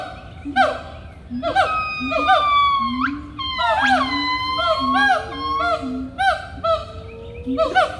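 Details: Several loud monkeys calling together: overlapping harmonic hoots and sweeping cries, some climbing steeply and others sliding down, layered voices filling about eight seconds.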